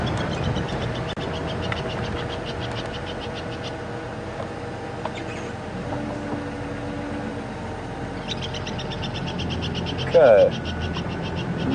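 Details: Unhappy tree squirrel alarm calling at something it can see, at Djuma Game Reserve during a safari drive on 8 April 2015, while a francolin stays calm. Bursts of rapid, sharp clicking chirps sound over a steady vehicle engine hum.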